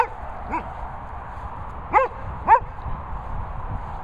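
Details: Short high yips from dogs, the Cavapoo Teddy alongside German Shepherds Harley, Sophie and Toby at Worcestershire countryside kennels, three brief calls spaced about half a second to a second and a half apart over a steady background hiss.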